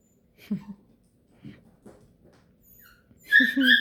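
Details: An overtired beagle puppy, winding down for a nap, gives soft, breathy whimpers, then a louder, high, nasal whine at the end.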